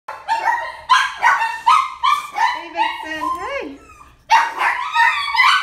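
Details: A one-year-old ivory and grey female Chihuahua gives a run of sharp, high yapping barks, some rising into squeaky whines midway, then a pause before another burst of quick yaps indoors.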